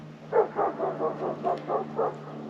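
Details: A neighbour's dog barks from a distance on a homestead, a quick, steady run of short, mid-pitched woofs.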